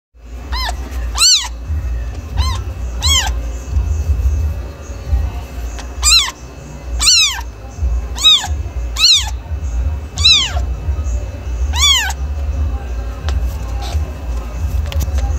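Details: Domestic cat meowing, a series of clear, rising-then-falling harmonic meows repeated irregularly, some loud and drawn out, others short, over a steady low hum in the background.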